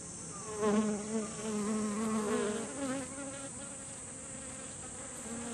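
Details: A group of honeybees visits kumquat flowers for nectar in a garden, their wings humming in a low buzz that rises and falls in pitch as they move about.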